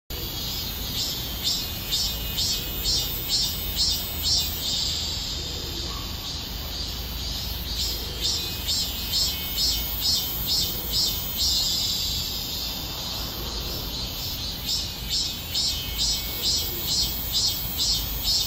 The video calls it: 숨어있는 자연의 신비를 찾아내는 명품영상 / 매미소리 / 매미울음소리 / 매미노래소리